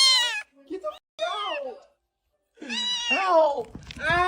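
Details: Orange male cat talking back to his owner indoors: drawn-out harmonic meows that rise and fall, overlapped and interleaved with human speech and a laugh.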